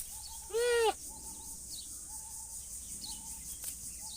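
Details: Goat giving a single loud quavering bleat lasting under half a second, followed by faint short tonal sounds and background hum.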